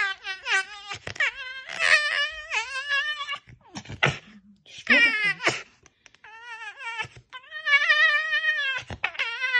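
A tame red fox gives loud, quavering, high whining screams in bursts while standing her ground.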